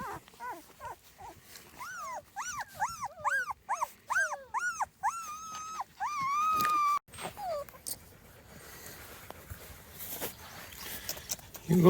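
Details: Small Munsterlander puppies, two and a half weeks old, outside for the first time with their litter: a run of arched, whining whimpers near one kilohertz, repeated in quick succession, then a long, steady drawn-out whine before quieter rustling.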